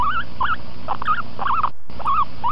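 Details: A guinea pig gives small wavering, whining cries, a complaint that something is bothering it; it should be left in peace or rescued from whatever bothers it.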